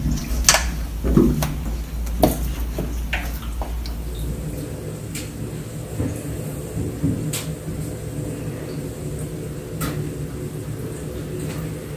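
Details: Indoor knocks, sliding and cupboard-like clatter over a low steady hum, with sharp clicks scattered throughout and no clear animal voice.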